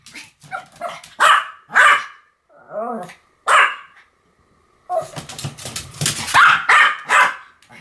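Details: Duet of two Pomeranians, Sam and Marin, giving loud high-pitched barks separated by a short whine, then a dense overlapping run of rapid yapping near the end.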